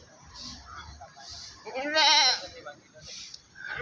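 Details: At a livestock market in Pakis, Malang, Indonesia, a single loud quavering goat bleat lasting about half a second rises above nearby men's voices and background market bustle.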